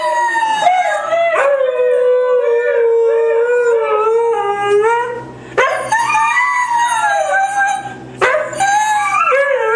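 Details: Group howl of three white huskies singing along together: a long sustained, slightly wavering howl with strong harmonics, then fresh rising howls starting near six and eight seconds, voices overlapping in a steady chorus.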